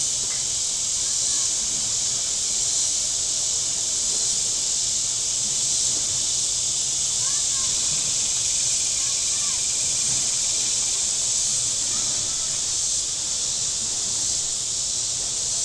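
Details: Cicadas calling from the shore of Table Rock Lake, southern Missouri, on a very warm day: a continuous high sizzling wall of sound, with faint short chirps and soft murmurs beneath it.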